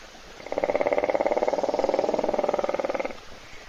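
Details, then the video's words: Snoring hippopotamus asleep in a waterhole puddle near Kruger National Park, South Africa, on an Africam webcam while thirsty animals wait; one sustained buzzing snore of fast, even pulses lasting about two and a half seconds, then quiet. "Бегемот Hippo храпит в луже"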